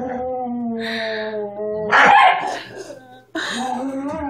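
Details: Growling from a pet Miniature Schnauzer: a sustained, slightly falling tonal grumble, interrupted by a louder harsh burst, then another wavering growl after a short silence.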